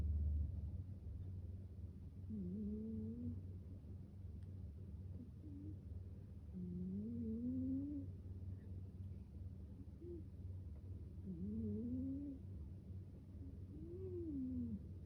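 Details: Sleeping American Shorthair kitten snoring: soft nasal, whistled tones that rise and fall, coming in slow separate breaths about every four to five seconds over a steady low rumble.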